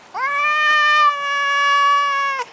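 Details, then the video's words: Maine Coon cat giving a single long, steady meow lasting over two seconds, a clear tonal cry with rich even overtones, slightly rising at the start and dropping at the end, in a quiet room. "cute meowing of mainecoon cat"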